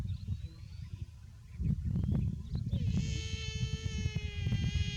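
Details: Overheated baby buffalo starts a sustained, nasal harmonic call in the last two seconds, held level, after rustling and low rumbling background noise.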